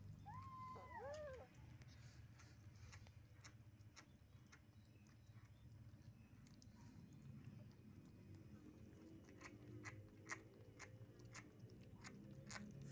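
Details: Young cat chewing steamed shark flesh stuck to its mouth utters a quick run of three or four small falling mews at the start, followed by low rumbling background noise and scattered clicks.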